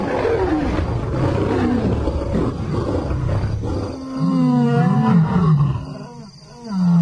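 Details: Lion roaring in another lion's territory, a challenge to the resident male Simba by two new arrivals: a deep, rumbling roar for about four seconds, then lower tonal moaning roars that rise and fall before fading.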